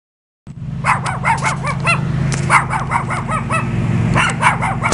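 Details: A visiting dog barking in rapid, sharp, repeated bursts of several barks each, keeping up a steady volley after a brief silent start, with a low steady hum underneath.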